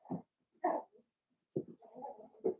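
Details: Daisy's Cavalier King Charles Spaniel puppies, four weeks old, whimper and grumble in a pen: brief low whines, a higher squeal, then a longer wavering moan ending in a final whimper.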